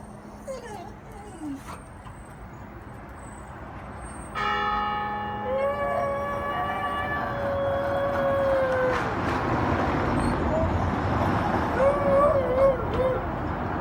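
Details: A dog howls at the sound of a church bell. After a loud bell strike rings out, a sustained, gently wavering howl runs for several seconds and later returns as a shorter, quavering howl. Background noise throughout.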